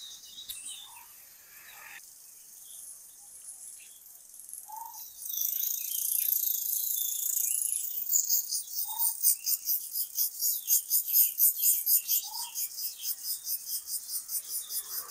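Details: Crickets call at dawn in a foggy village with a cool breeze. Their shrill, high-pitched chorus breaks into rapid, regular, throbbing pulses, while a short, mellow note sounds every few seconds beneath it, likely a distant bird.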